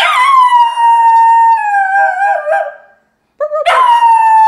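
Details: Singing dog Niles holds a long, slowly falling howl that wavers into a few bends before fading, then a brief pause and a sharp, loud restart of the drawn-out howl.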